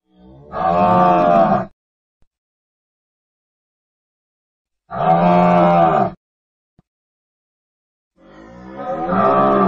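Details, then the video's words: Cattle mooing: three long, loud, low moos with rich harmonics, each lasting over a second, separated by silences of about three seconds. "Suara Sapi dan macam-macam suara lembu"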